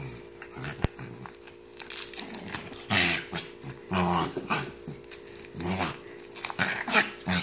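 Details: Pet corgi indoors growling and grumbling while struggling to get out of its velcro Thundershirt, short rough bursts and huffs in a small room with rustling and a person talking nearby.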